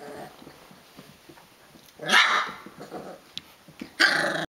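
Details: Rhodesian Ridgeback puppies at day 22, wrestling in play indoors: soft scuffling and small grumbles, broken by two sharp, harsh barks about two seconds apart.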